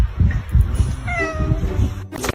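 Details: Pet cat in a funny compilation giving a single harmonic meow, level then gently falling, under a second long, over low background music and room noise, with a sharp noise at the end.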